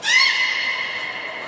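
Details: Beluga at Port of Nagoya Public Aquarium during a training session with Gray, Nana and Nico, recorded 10 March 2019: a loud, slightly falling harmonic whistle lasting over a second, with a thin high trainer-type whistle tone above it.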